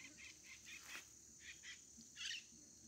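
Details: Scinax fuscovarius tree frog (perereca) calling: short raspy pulsed notes repeated several times within three seconds, a louder burst near the end, over a steady high insect hum.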